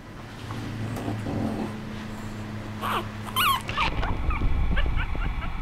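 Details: A young female Chihuahua, ears not yet fully upright, makes high-pitched whimpering whines and brief yips in quick, uneven bursts over a low hum and handling noise.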